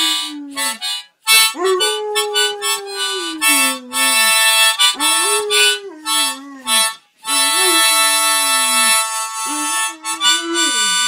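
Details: A Landseer Newfoundland dog howls along to a harmonica being played, long wavering tones that rise and sag in several drawn-out phrases, with harmonica chords loud over much of the recording.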